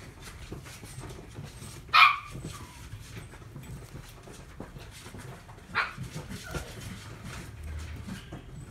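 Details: Chihuahua at a pet shop in Omihachiman, Japan: a single sharp, high bark near the two-second mark, then a fainter, shorter yelp almost four seconds later over quiet indoor room noise.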